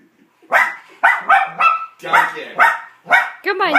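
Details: Newly adopted male puppy barks at his reflection: a brief quiet pause, then seven or eight quick yapping barks in uneven bursts, ending in higher whiny, rising yelps.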